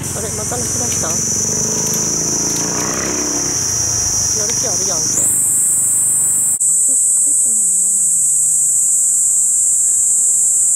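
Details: Kaempfer cicada in Tokyo, 17 July 2021, taken with a CX430V camcorder: a woman talks over a high buzz at first, then the shrill continuous drone grows louder and fills the rest alone.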